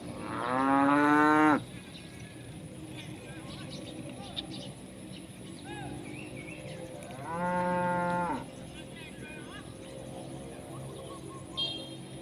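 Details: Tame village cows grazing in rice fields in the countryside, apparently in Indonesia. One cow gives two loud, drawn-out moos, calling its companions to come and eat.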